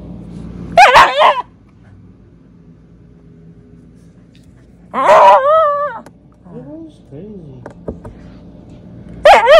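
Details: A Shiba Inu, during its nightly fuss and zoomies, gives short bursts of high, wavering yowls and whines, a few seconds apart.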